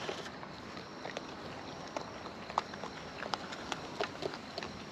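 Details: Raccoons in the wild, eating close to the microphone: quick, steady run of sharp crunching and smacking clicks over a low rumbling outdoor background.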